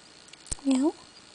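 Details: Smudge, a female pet cat who demands attention while getting scratches, gives one short, soft meow lasting about a quarter second, steady then slightly falling in pitch, after a single sharp click in a quiet room.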